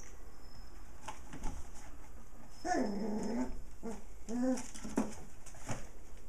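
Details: Six playful puppies romping indoors beside their mother dog; short harmonic growls and whimpering yelps come in two bursts, the first drawn out and wavering, the second a string of quick squeaky whines, over scuffling and soft thumps.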